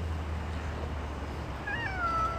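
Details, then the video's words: Hungry stray cat outdoors waiting to be fed: one short meow near the end, bending downward in pitch, over a steady low rumble from the street. "hungry cats videos stray cats"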